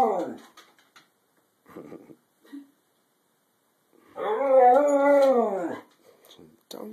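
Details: Pet female Siberian Husky 'talking' inside the house, protesting that she cannot go back outside while doing her happy dance: a loud, arching, mournful howl-moan of over a second, between short bits of human speech.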